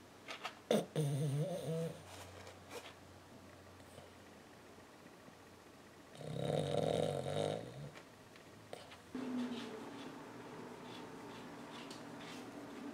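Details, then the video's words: . A 14-year-old female Lhasa Apso sleeping and dreaming, legs moving as if walking; irregular rough, buzzy snores come in three bursts across the stretch, with soft rustling between them. "Lhasa Apso Small Dog Snoring & Walking Dream"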